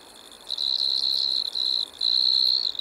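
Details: Striped Marsh-cricket (Pteronemobius lineolatus) singing at Maggia, Switzerland, on 1 September 2023, recorded with an ultrasound detector; a high, steady, pure trill in long sustained bursts with brief breaks, over a quiet background.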